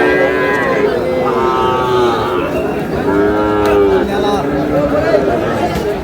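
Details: Sahiwal bull calves being bought and sold at Raniganj cattle market on a Thursday in Bangladesh: several overlapping tonal moos, some gently rising and falling, follow one another without pause over a low bustle of the crowd.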